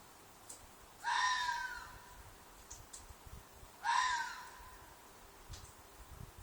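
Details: Red fox in a field behind an apartment, described as very loud and keeping people awake, possibly a mating call: two harsh, drawn-out screams about three seconds apart, each starting high and sliding down, over quiet background with faint clicks.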